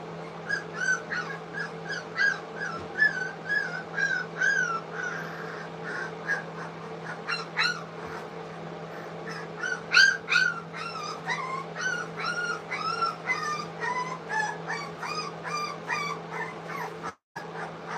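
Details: Several three-week-old English Cocker Spaniel puppies at a kennel, trying food for the first time, squeal and whimper almost continuously, rising and falling high cries overlapping, over a steady low hum.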